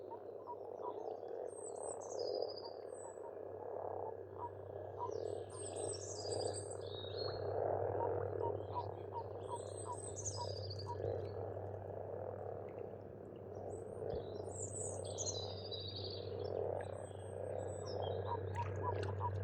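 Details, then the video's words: A springtime frog chorus from a farm pond in Estonia: continuous overlapping croaks, fast repeated pulses, while bursts of bright chirping birdsong rise and fall over the top every few seconds. "Расслабляющее пение птиц и лягушек"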